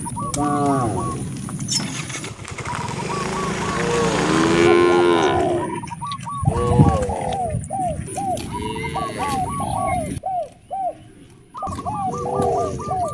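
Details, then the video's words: Free-roaming cows on a natural road, searching for fresh grass, let out a long, rich moo that swells and fades, then shorter lowing. Quick rows of hooked bird whistles keep repeating throughout. "The sound of moo cows roaming the natural roads looking for fresh grass to eat"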